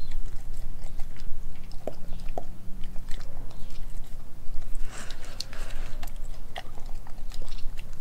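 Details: Indoors, the Kelpie German Shepherd mix Nala chews raw beef and chicken, including a homemade raw chicken nugget; steady smacking and soft clicking bites run throughout over a low background hum.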